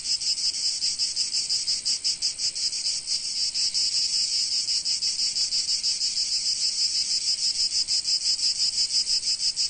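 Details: Cicadas singing in sunny Provence: a dense, high, continuous buzzing chorus that throbs in quick pulses, about three per second, with no other sounds.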